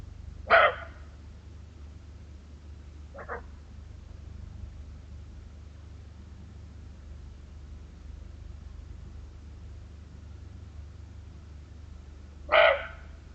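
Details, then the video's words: Barking deer giving single sharp, short barks, one near the start and one near the end about twelve seconds apart, with a fainter bark between them, over a steady low background hum. "barking deer!"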